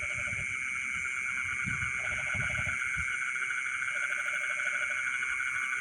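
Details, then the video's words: Frogs in rice fields in the middle of the night: short low pulsed croaking trills in brief bursts, set against a steady shrill insect drone and a few dull low thumps. "the sound of frogs singing in the rice fields in the middle of the night"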